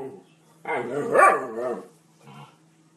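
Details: German Shepherd dog giving a drawn-out whining howl that rises then falls over about a second, followed by a short softer yelp, with a steady low hum indoors.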